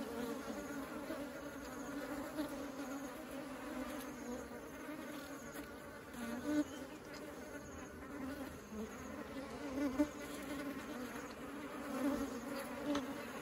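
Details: Honeybees ferrying honey into the beehive produce a sustained mass buzz, a low steady drone with overtones, punctuated by brief louder fly-bys around six, ten and twelve seconds.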